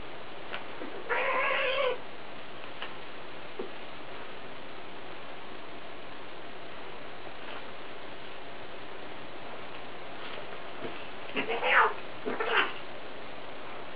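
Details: Scottish Fold cats, an adult and a kitten, play-fighting indoors: a short wavering meow-like cry near the start, then a pair of brief squeaky cries near the end, between long stretches of soft rustling.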